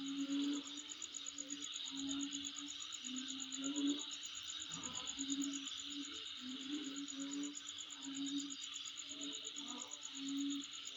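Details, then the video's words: Insects heard around a home: unbroken high-pitched hissing chorus with a quick pulsing trill on top, while short low droning notes repeat irregularly underneath. "Sound Of Insect In My Place"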